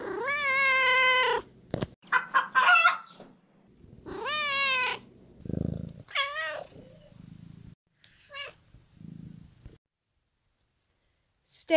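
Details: Domestic cat meows from a children's counting brain game: a long wavering meow opens, then short chirps, another rising-falling meow, fainter trills and brief squeaks, with low purring murmurs between calls.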